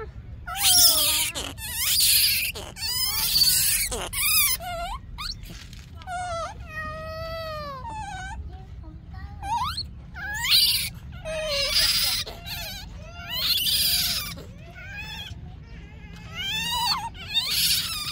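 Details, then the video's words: Yaya's baby monkey screams for Yoyo's milk, alternating harsh, noisy shrieks with long wavering tonal wails that bend up and down, calling almost continuously throughout. "Yaya's baby monkey is still broken, screaming for Yoyo's milk"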